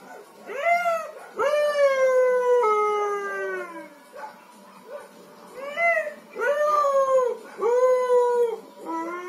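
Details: Siberian Husky singing along with neighbouring dogs: long tonal howls sliding down from about mid pitch, rich in overtones, several drawn-out notes with brief rising yips between, strong and clear.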